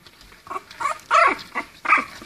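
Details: French Bulldog puppies, 21 days old, from a litter born 14 October 2014, giving short, rough yelping calls, roughly four bursts, the later ones louder, with indoor background rustling.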